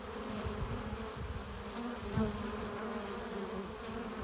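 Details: Honey bees at a hive entrance, arriving with pollen and nectar; a dense continuous hum of many wings with steady harmonic bands, a brief louder pass near the middle, and low rumbling underneath.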